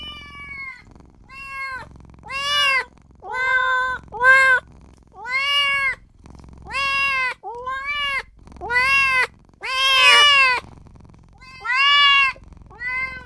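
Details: Newborn kitten calling out for its mother and owner with a steady series of arched, high meows, roughly one per second across the stretch, some louder and strained, over soft background noise.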